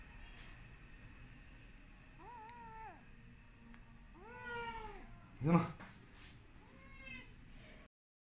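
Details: Abandoned kitten crying while medicine is put in its ears indoors; several short arched mews, one louder sharp squeal midway, soft handling noise in the background.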